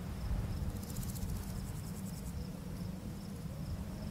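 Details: Summer full-moon night in a barley field, with crickets giving faint, regular high-pitched chirps in quick succession and a short glittering trill near the start, while wind blowing through the grass fills the background with a constant low roar.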